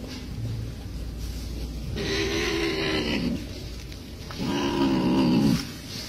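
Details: Cat facing a crab gives two drawn-out, low harmonic growls, each about a second long, with a hissing, breathy edge above them, separated by a short pause.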